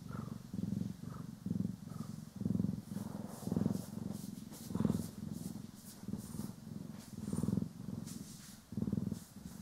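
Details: Domestic cats Poki and Kiwi purring while being groomed and brushed, recorded in stereo: a low rumbling purr in rhythmic bursts about once a second, each swelling and fading with the breath, with soft brushing rustles above.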